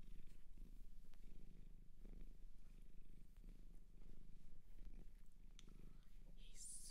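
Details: Japanese shelter cat purring steadily, a low even rumble with rhythmic pulses, faint handling noises and a brief hiss-like rustle at the end.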